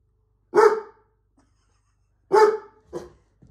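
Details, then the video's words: A pet dog barks at a computer monitor, set off again as the screen changes. Two strong, abrupt barks about two seconds apart, followed by a softer, shorter woof. "Dog Barks at Computer Screen"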